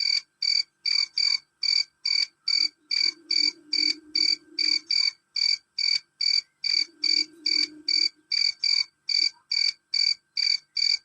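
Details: Loud, shrill chirping of a male cricket, short ringing pulses repeating steadily roughly twice a second over a quiet background with a faint low murmur.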